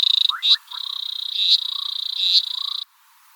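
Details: Natal leaf-folding frog gives a high, rapid, buzzy pulsed trill held for over two seconds, with a few soft lower chirps beneath; the call sounds much like a brown-backed honeybird.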